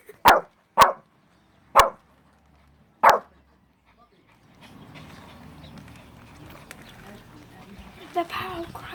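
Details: A Shih Tzu barks at a person's fake sneeze, giving four sharp, high barks spaced unevenly over three seconds.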